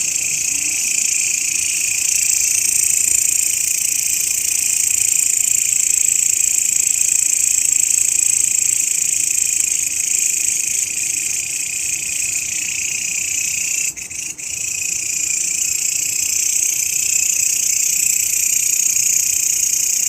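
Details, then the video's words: Grasshopper drone recorded as a master sound for songbirds: a steady piercing high buzz, briefly broken by a short dip and click just past the middle, then resuming unchanged. "SUARA BELALANG,MASTERAN BURUNG YANG SERING DI CARI-CARI OLEH KICAU MANIA"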